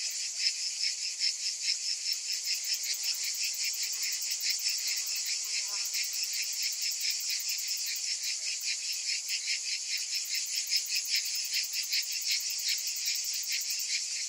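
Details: Cicadas on a summer day, several calling together in a dense, high-pitched, continuous buzzing chorus with a steady pulsing texture and a fine rapid ticking layered on top, holding the same level throughout with no other clear sounds.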